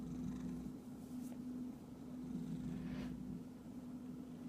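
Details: Short stretch of a house cat's rumbling purr, low and even, with two soft swishing rustles over it.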